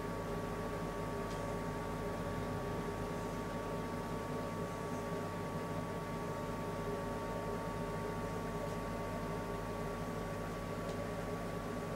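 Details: A steady low mechanical hum with faint broadband hiss fills the room throughout, and no animal calls can be picked out.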